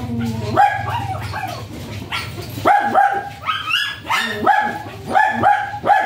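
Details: Japanese Spitz dog offered for stud service at Aringay, La Union, giving sharp, high yappy barks in quick bursts of two or three, with short pauses between runs, over a low steady hum and faint background music.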